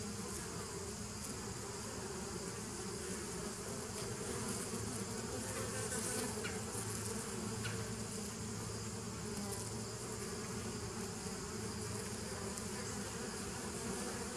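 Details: Long, steady hum of bees from 27 September 2018, a full, low buzzing drone with stacked tones and a soft hiss overhead, swelling slightly midway but never stopping.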